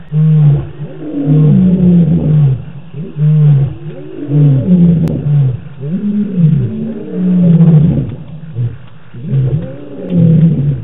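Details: Night on the Djuma live cam in wild Africa, 25 March 2018: lions roaring in a long series of deep, throaty moans rising and falling, bursts following one another every couple of seconds with layered overlapping voices.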